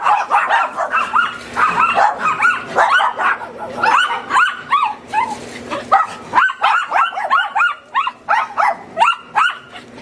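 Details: Several neighbour's dogs barking continuously, a dense overlapping chorus of sharp, high yapping barks, some in rapid regular runs of about two per second, with no pause over the whole stretch.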